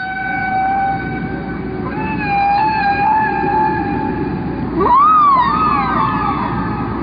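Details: Humpback whale song, its patterns running about 15 minutes before repeating: long sustained tonal moans with rich harmonics, a slight wavering rise midway, then a sharp upward swoop into a wavering higher tone near the end, over steady hissing background.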